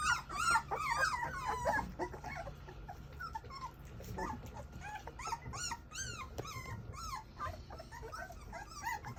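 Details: Several English Mastiff puppies crying indoors, short rising and falling whimpers tumbling over one another about twice a second, loudest at the start, then a steady chorus of squeaky yelps and whines.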